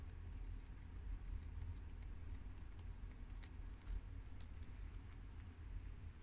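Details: Eating sounds from four guinea pigs, Shiro, Crash, Cookie and Peanut, working through garden romaine lettuce; rapid soft crunching clicks come in uneven bursts above a constant deep background hum.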